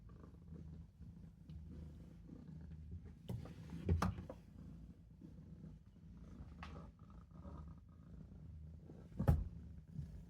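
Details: Napping in a sink, Maine Coon kitten Olof gives a soft, low purr that rises and fades. Sharp bumps or clicks interrupt it around the fourth second and again near the end.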